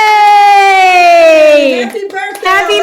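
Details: Female Siberian husky indoors on her birthday, singing along with a long smooth howl that slides slowly downward for nearly two seconds, then broken yips and voices as people cheer and sing happy birthday.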